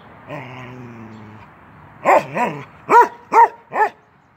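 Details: Playful 10-month-old male Norwegian Elkhound Keweenaw at a fence: a low, steady harmonic growl lasting about a second, then a pause and five clipped barks, the last three evenly spaced.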